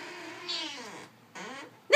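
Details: A Siamese cat that wants to go outside in the sun gives two drawn-out meows, each sliding downward in pitch, as if refusing to take no for an answer.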